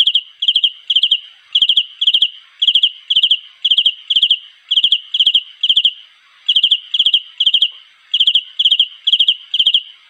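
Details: Cricket calling for a mate: steady high-pitched chirps, each a quick burst of three or four pulses, repeated about twice a second with a few brief pauses; no other sounds stand out.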